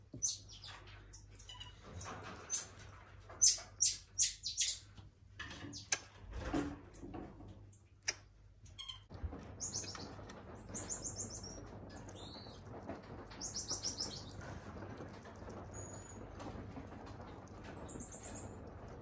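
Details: An elderly female common marmoset kept at a zoo, balding and with fur turned fully white. Sharp tapping and knocking sounds come first. Thin, very high-pitched chirps and short whistles follow in scattered bursts over a low steady hum.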